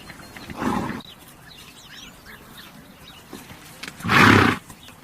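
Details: A horse blows two rough, breathy bursts roughly three seconds apart, the second stronger and harsher, while small birds chirp softly in the background.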